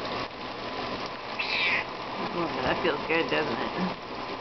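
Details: A 15-year-old pet cat that loves hot showers cries to ask for her turn under the water. Short, high, thin meows come over steady running shower water while a person talks to her gently.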